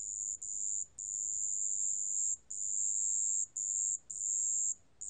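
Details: A marsh bell cricket, recorded in 2020 for Korea's National Institute of Biological Resources, gives a shrill, thin, bell-like ringing trill in sustained bursts of about a second, broken by short silent gaps.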